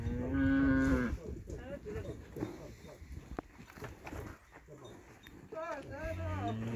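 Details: Montafon cattle kept as livestock: one short, steady low moo opens, then fades into muffled farmyard noise, with a fainter, wavering lowing near the end.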